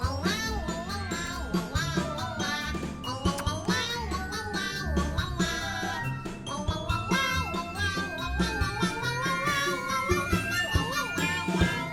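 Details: Bouncy background music with sung melody and jingling percussion throughout.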